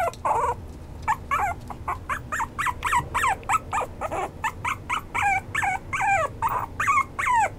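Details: Toy poodle and Maltese mix, a Maltipoo, whimpering persistently: short, high yips repeated rapidly, many dropping in pitch at the end, with a soft hum in the background.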